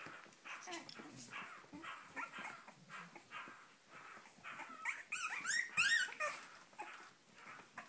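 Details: Cavalier King Charles Spaniel puppies, born 7 April 2014 in Spain to Sarlat and Chloé, wanting to get out: busy high yips and squeals, rising to a sharper burst of cries toward the end, with a woman's voice just after.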